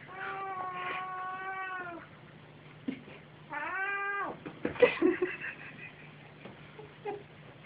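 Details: Two pet cats, a mother and her son, playing indoors: two drawn-out, falling meows, a brief chirp, then scuffling, soft yelps, and a woman speaking French.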